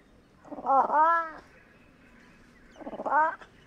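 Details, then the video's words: Fishing cat (Prionailurus viverrinus) uttering two throaty, rolling yowls. The first is a stuttered, harmonic-rich wail lasting nearly a second, and the second is a shorter, similar cry after a pause of more than a second, over a quiet background. "Fishing Cat Vocalizations"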